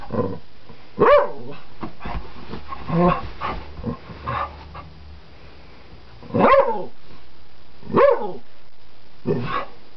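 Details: Teased wild dog on a flower bed, barking: a loud harsh bark, then softer muffled sounds in the middle, followed by three more strong barks toward the end, spaced irregularly.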